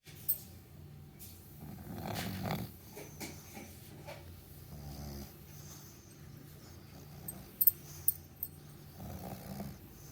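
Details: Meatloaf the dog snoring through a morning sleep: low rumbling breaths with soft raspy bursts, a stronger snore around two seconds and another near nine, plus a few faint clicks.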